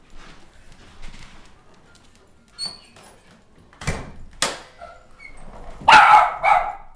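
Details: Dog barking at a vacuum cleaner indoors: a few scattered sharp barks and thumps, ending in a louder, harmonic bark burst near the end.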